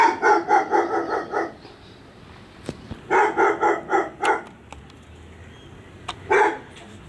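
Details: Dogs barking next door, filmed with a Sony FDR AX100: rapid runs of six to eight evenly spaced loud barks, a pause with clicks and knocks, another run, then a single final bark.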